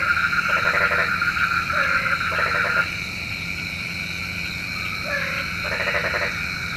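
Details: Frogs croaking at night, believed to summon rain; several rapid pulsed croak bursts and short lower notes in the first three seconds, then quieter, with more croaks near the end above a continuous high hum.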